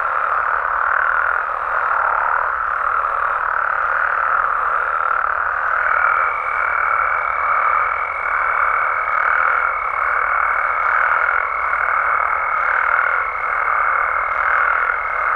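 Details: Night chorus of Mexican frogs and toads, a constant mass of overlapping croaks with faint rhythmic swells, joined after six seconds by a long, level high-pitched tone lasting to the end.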